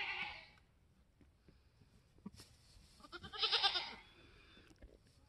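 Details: Mini Alpine buckling, F4, newborn on a homestead, March 13, 2021, black coat with white frosted ears and nose. A brief bleat at the start, then a louder, quavering cry a few seconds later over low background noise.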